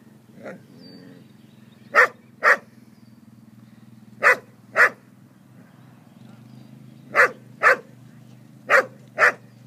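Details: Border collie barking while wanting to herd foals: sharp barks come in pairs about half a second apart, the pairs spaced a few seconds apart, over a steady low hum.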